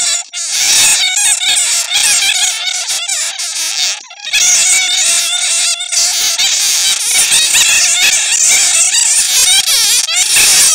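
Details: Netted bats' own squeaks used to lure others: many shrill, chattering calls crowd together in a steady, noisy stream with one brief dip in the middle.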